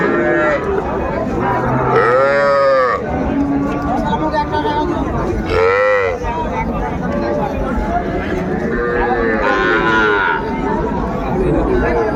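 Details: Small bull and heifer calves at Ambari cattle market, Mymensingh, Bangladesh, on Monday 14 January 2025: three loud arched bawls, each about a second long and spaced several seconds apart, over steady crowd noise and haggling speech.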